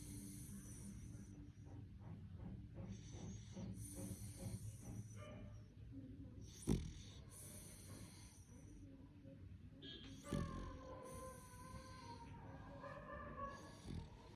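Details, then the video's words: Beagle puppy of four months in deep sleep, snoring in low, raspy pulses that come in quick succession early on, broken by a few sharp snorts and soft higher whines later. "4 months beagle snoring 😴 in deep sleep !!!"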